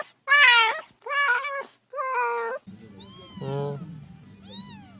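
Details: Mountain-village kitten, sound meant to drive off rats in the countryside, mewing three times in quick succession, followed by thinner, higher falling meows over a steady low droning hum.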